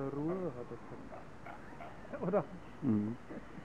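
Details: Zoo seals at Zoo Augsburg, Bavaria, Germany, quarrelling and bellowing at each other: a few harsh, harmonic cries that bend up and down, separated by short pauses, with background music.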